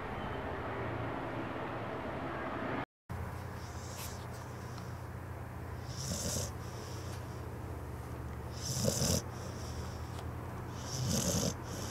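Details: Puppies or dogs sleeping and twitching while dreaming, heard as soft, breathy, noisy snores roughly every two to three seconds. A steady hiss and low hum run underneath.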